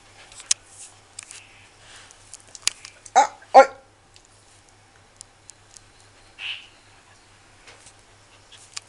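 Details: Dog named Som at Phuket Dog Resort, playing with another dog for the first time: two short, sharp barks in quick succession midway, amid scattered clicks and pattering footsteps, with a brief faint high squeak afterwards.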